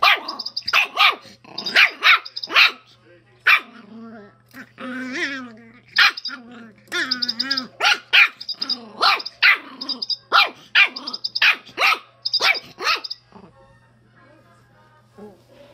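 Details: Schipperke dog kept with a chicken, yapping in fast, excited runs of sharp barks. A mid-clip stretch of drawn-out whining, growly vocalising breaks up the barking, and the barks thin out into quiet near the end.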